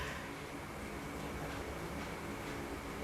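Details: Steady low indoor background hum with faint mechanical noise and no clear animal voice, recorded in a small room.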